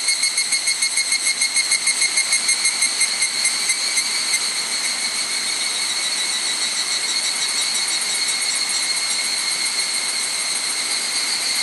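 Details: Higurashi cicada song along the Gokurakuji hiking trail on Mount Hokyo, Tsukuba, Japan, on a cloudy evening, 31 July 2011, between 18:00 and 18:30. It opens with rapid pulsing bursts, then merges into a continuous shrill, bell-like ringing chorus.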